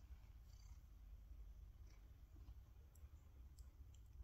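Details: Low, continuous purring from a male tabby cat as he reacts to a glass jar of his collected fallen whiskers; the deep rumble stays even, with faint soft ticks in the background.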